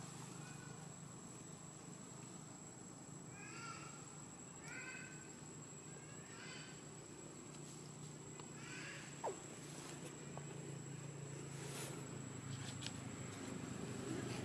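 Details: Baby temple monkeys in a troop in Cambodia play happily, giving faint, high squeaks in short clusters of two or three, some wavering like a mewing kitten, over a constant low hum and thin steady whine.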